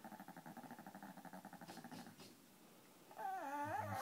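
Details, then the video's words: A five-pound Peka-Pom, annoyed by another dog indoors, makes a fast, throbbing pulsed growl for about two seconds, then a pause, then a wavering whine over a renewed low growl. "Peka-Poms growling"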